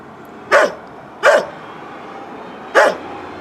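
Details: A neighbour's old dog gives three sharp, single barks, the last after a longer pause.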